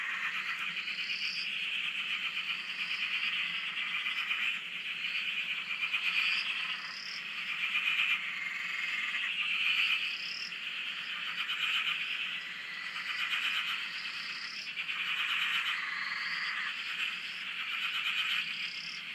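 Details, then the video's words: Dam in Australia, frogs heard from a shack at the water: a thick pulsing chorus that rises and ebbs in waves, studded with frequent short rising notes above the steady buzzy trilling. "Frog Chorus- Australia"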